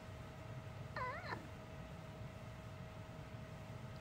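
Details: ['Uni, a pet dog that has never barked a doggy woof since she was little and instead makes a human-like voice, gives one short wavering, yodel-like cry lasting about a third of a second, then a quiet room with a steady faint hum.']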